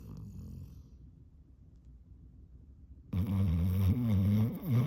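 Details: Yellow Labrador Retriever snoring in deep sleep with tongue hanging out; quiet low rumbling breaths, then from about three seconds a loud, rough, low snore with wavering harmonic tones.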